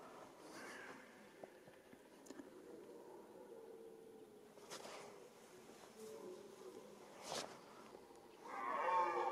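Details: A red deer stag during the rut gives deep, drawn-out moaning roars rising and falling in long groaning phrases, closing with a harsher, louder bellow, while another deer runs nearby and stags fight.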